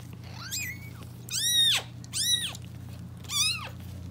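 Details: Domestic calico cat indoors giving birth to five kittens, her second litter; four loud, arched mews rising then falling, each about half a second long, with rich harmonics, spaced irregularly over four seconds, over a steady low electrical hum.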